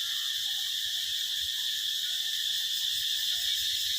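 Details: Summer cicadas producing a dense, unbroken, high-pitched buzzing drone at an even intensity throughout, over a quiet low rumble.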